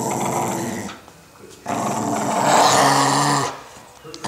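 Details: Pit bull type dog growling while fighting over stuffed toys with a toddler indoors; low, harsh rumbling growls in two long bursts, with a noisy, crackling edge and a gap between them.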